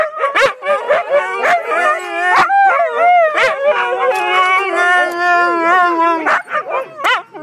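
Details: Siberian Huskies, sibling pack dogs, talking together: overlapping wavering howl-like voices that rise and fall in long harmonic moans, with short sharp yips breaking in, nearly continuous over seven seconds.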